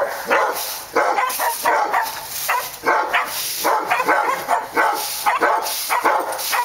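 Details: Several dogs at Park Drive barking in a steady, overlapping stream of sharp, rough barks, bursts coming roughly every half second with a constant high hiss underneath.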